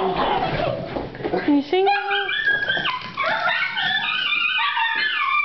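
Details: Four Italian Greyhounds, excited and waiting for their owner to come home from work, howl in long, wavering, high-pitched tones after a person coaxes them to sing; one dog digs in a chair instead of singing.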